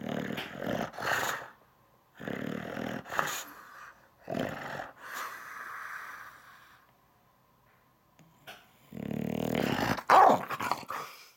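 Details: English Bulldog Dixon in a tantrum, upset about something: grumbling growls and moaning whines in uneven bursts, a steady faint tone during a quiet gap, then a loud rough vocal outburst near the end.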